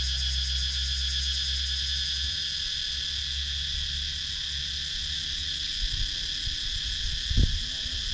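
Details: Wooded countryside in Sakon Nakhon, Thailand, filled with cicada sound captured by GoPro Hero 9; continuous shrill, even buzzing throughout, with a low hum early and a brief thump near the end.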